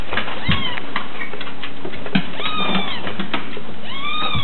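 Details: Kittens meowing: short, high, downward-curving meows repeated irregularly, with a laugh and clicking handling noises in the background.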